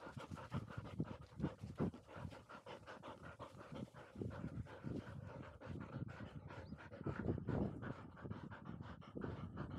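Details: Field-type Labrador Retriever puppies, 439 days old, Pin and Dori, after a dash up a slope: rapid, breathy rasping pants, roughly three per second, steady and unbroken throughout, with no other clear sounds.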